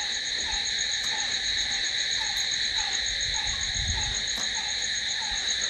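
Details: Continuous high, buzzy ringing of crickets in the night, with an evenly spaced lower note sounding repeatedly and a brief low rumble midway.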